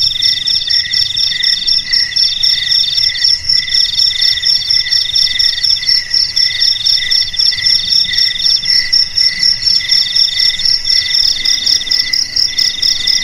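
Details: Chorus of crickets, used as a rat repellent for houses, garages, storerooms and paddy fields, giving steady high pulsed chirps about four per second, several layered callers trilling continuously with no other sounds.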